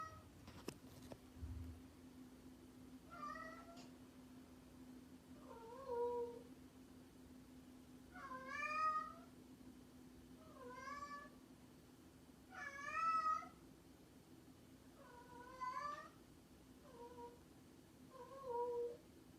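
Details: Domestic cat meowing repeatedly, about nine drawn-out harmonic meows across the stretch, some short and flat, others longer with a rising then falling bend, spaced a second or two apart over a steady low hum.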